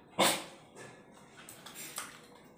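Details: Female German Shepherd cross puppy, about 11 months old, in India during a training session, gives one short sharp bark near the start, followed by faint indoor room noise and a few soft knocks.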